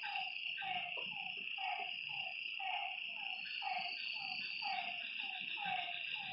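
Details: Frogs calling at night at a lakeside: short downward-sliding croaks repeated about twice a second, overlapping callers, over a steady high buzzing insect chorus.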